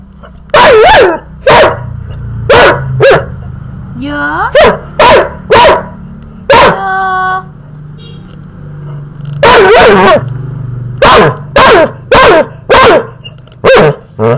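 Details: A male puppy, being teased, lets out bursts of shrill yapping barks in clusters, broken by brief tonal voice sounds around the middle, with a low hum in the background.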